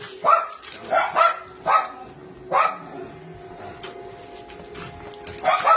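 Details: Sharp barks from Twix, a black brindle male Cairn Terrier, 3-1/2 years old, up for adoption in Maryland: short separate yaps spaced roughly half a second to a second apart, with a steady faint tone and room noise between them.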